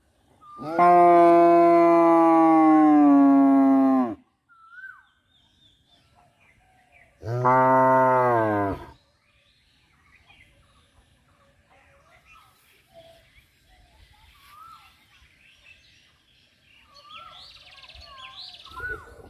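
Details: Two black cows running around in a green field, mooing because they want to go home, recorded on the owner's camera. Two long, deep, harmonic moos: the first about three and a half seconds, the second shorter, then quiet with faint distant chirps.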